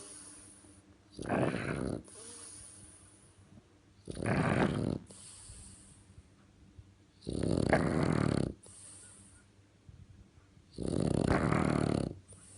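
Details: French Bulldog snoring loudly, likened to a tractor: four long, rough, broadband rasping snores of about a second each, one every three seconds, with quiet breathing between them indoors.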